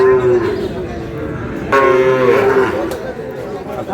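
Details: Sahiwal bull calves traded at Dinajpur's Ambari market, Bangladesh, 11 May 2026, at the start of the market day: a brief low moo, then a second drawn-out moo about a second long, with traders talking and crowd noise throughout.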